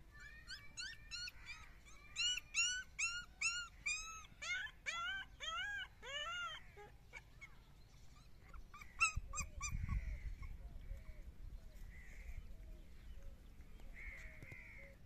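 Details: Playing puppies letting out rapid series of high, arched yelps and whimpers at the start, then softer drawn-out whines and scattered squeaks, with a brief low rumble of movement near the middle.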